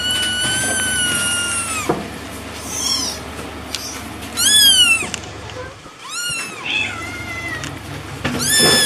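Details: Cat giving a series of meows: a long, level opening cry, then shorter bent meows rising and falling, spaced irregularly, with soft thumps and faint human voices in the background.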